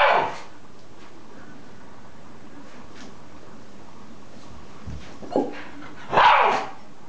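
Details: Shiba Inu in a 2012 household squabble with a little girl, letting out short abrupt yips at the start and a pair of louder barks near the end, with long quiet gaps between them.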